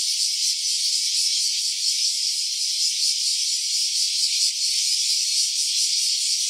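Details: Loud, steady cicada buzz in stereo from an OPPO Reno A phone, shrill and grainy with quick rhythmic flutter, a brief dip in volume midway, no other sounds.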